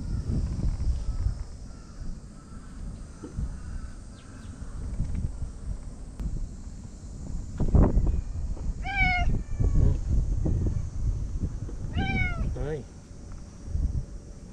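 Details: Lonely stray white cat from the tetrapods, now joining a park cat gathering before dinner in Japan, gives two clear, drawn-out meows about three seconds apart, each with a bent, wavering pitch, over steady low wind rumble and outdoor noise.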